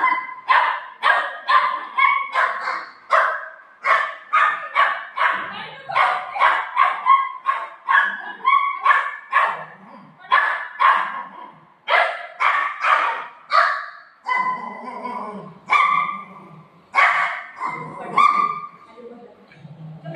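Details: Buzo and Milo, two pet dogs wanting rasgulla, bark in a rapid insistent string, sharp yaps repeated roughly twice a second with brief pauses, while a person's voice sounds in the gaps.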